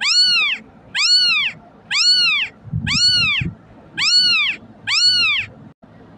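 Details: Crying kitten, meant to make cats come: six evenly spaced, high, arched meows about one per second, each swelling and fading, over a quiet background with a brief low knock.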